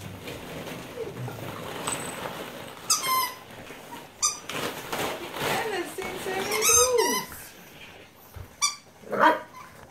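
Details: Nine-week-old French Bulldog puppies, playing among many balls, give short, squeaky yips and high whines in scattered bursts, with some speech.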